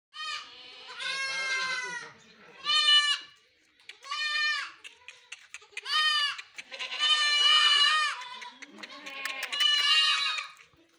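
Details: Goats on a farm where they are raised for meat and milk, bleating loudly in about six separate quavering, nasal cries. The cries are spaced irregularly and separated by short pauses, with fainter bleats in between.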